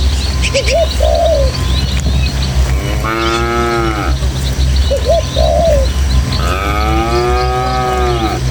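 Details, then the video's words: Tame village cattle herd heading through rural hills to the pen: two long, harmonic moos that rise then fall, one near the middle and one near the end, alternating with short soft dove-like coos over a constant low breezy rumble. "Suara Sapi"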